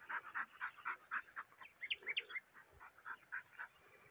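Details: Crickets and cicadas keep up a steady, high, ringing trill while lower pulsed notes repeat underneath. Cricket.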